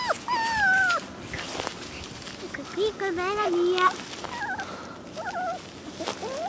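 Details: Vizsla puppies, 30 days old, from the litter of Kalì and Fiuto, give high, wavering whimpers that slide downward and rise again in short strings, with a woman talking softly in the background.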